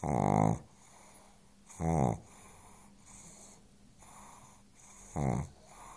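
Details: On the sofa, the pug Chance is fast asleep and snoring. Three coarse, rattling snores sound, a loud one at the start, another under two seconds later, then a pause of about three seconds before the last.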